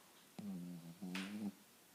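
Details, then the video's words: Annie, a pet Cavalier King Charles Spaniel, snoring: two droning, buzzy, low-pitched breaths in quick succession, each under a second long, with a quiet room background. "Snoring Annie"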